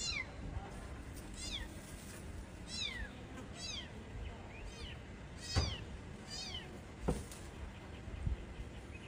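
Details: Mother cat that saved her kittens, calling outdoors in a rural setting: a run of high, thin, downward-sliding mews, about one every two to three seconds, with faint low background rumble and a couple of sharp knocks.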